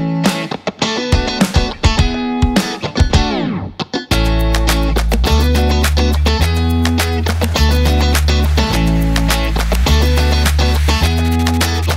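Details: Strummed electric guitar opens, then a full band with steady bass and drums plays on, with no animal sound present.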